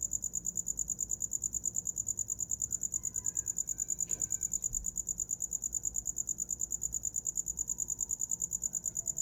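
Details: Rhythmic high cricket chirping, around three pulses per second, steady throughout, with a faint brief rustle midway; a night sound for sleeping.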